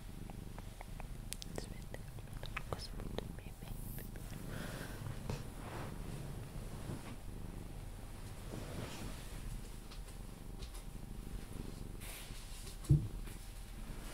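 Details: Sphynx cat called Pepe purring steadily while being cuddled, until it falls asleep; a continuous low rumbling throb with soft rustling and faint close sounds, and one sharp tap near the end.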